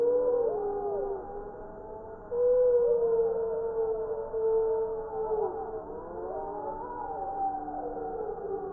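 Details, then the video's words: Chorus of several gray wolves howling in Wisconsin, December 2019; loud sustained howls with many interweaving voices, one strong steady tone, others wavering, rising and bending, the chorus building in the second half. "Spectogram of wolf chorus howls"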